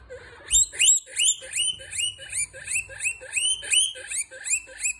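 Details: Storm, a very young female pet guinea pig, the only one in her litter, sitting happily inside a coffee mug and squeaking loudly: high whistled squeals that rise and then flatten, repeated about three times a second without pause.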